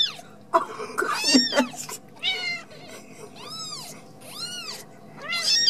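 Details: Ragdoll kittens raised at home without cages in a cattery in central Kansas, giving a run of high, arched meows that rise and fall, some short and clipped, others drawn out, over a low steady indoor hum.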